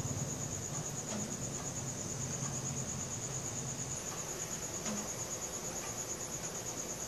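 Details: Cricket singing after dark, phone-recorded on a Samsung Galaxy S4, giving an unbroken shrill pulsing trill at a steady pitch, accompanied by a soft low background murmur.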